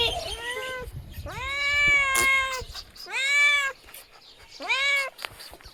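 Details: Small kitten meowing sweetly after a brief rustling, scuffling noise: three clear, tonal meows with a rising onset and slow fall, the last one shorter.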